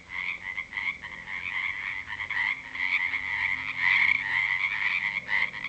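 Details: Night chorus of frogs at a natural pond, 7 pm, February 2009 after rain; near-continuous rapid pulsed croaking, about two per second, several animals overlapping into a dense trilling band that swells toward the end.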